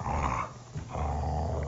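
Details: Mountain Cur growling while bored and wanting attention, a dog that runs at least 50 miles a week; a low, rumbling growl with a short pause midway, then continuing steadily.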